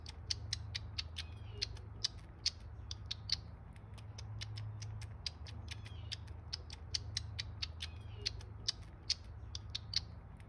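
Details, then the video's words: Baby squirrel, one of the brothers Jekyll and Hyde, feeding from a bottle in care: rapid clicking, smacking sucks of uneven rhythm, about two per second, over a low steady hum. "Sounds of My Baby Squirrel Sucking a Bottle"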